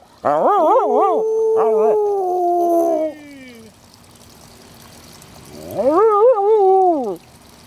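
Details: Molly and Panda, Border Collies, give warbling howls: quick wavering bursts that settle into a long falling tone, a quiet gap of about two seconds, then a final undulating howl.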